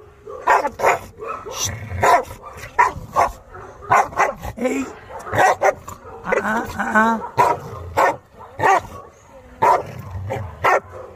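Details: Barking from Maike the Chow Chow during arrival at a dog-training session: a long run of short, punchy barks, some in quick pairs, with a person's voice heard between them.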